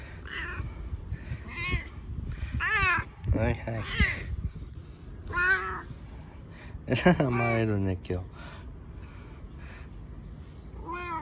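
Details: Bu-chan, a boss domestic cat, meowing in a husky voice while rubbing up and seeking affection far more than usual, with no other cats nearby; several arched, drawn-out meows, the longest and loudest near the middle, with human voices around them.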